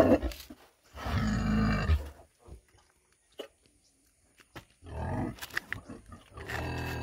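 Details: A 100 kg female pig gives deep, rough grunting bursts with short pauses between them.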